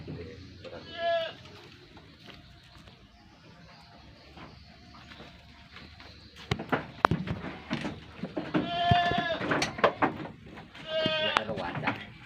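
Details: Javanese goats, a red-headed randu and a black-headed one, at Ngemplak village, East Java; a female is noted. Three wavering, nasal bleats come at intervals amid people talking and handling noises.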